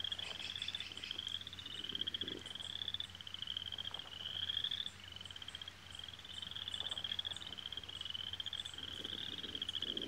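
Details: Frogs sing in a steady, high-pitched trilling chorus, pulsing on and off every second or two, over a low constant hum, with birds in the background where geese families raise their young.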